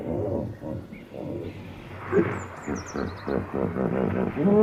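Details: Hippopotamus giving a bellow of repeated guttural grunts. They start spaced out, then quicken into a dense pulsing chorus toward the end. High bird whistles are heard in the background.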